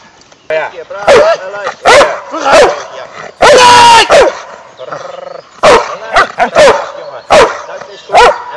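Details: Working dogs (Malinois, German Shepherd, Bouvier des Flandres) at a training session on Ascension Day, 17 May 2012: loud, harsh barks repeated roughly once a second, with one longer drawn-out burst midway, and a man's commands between them.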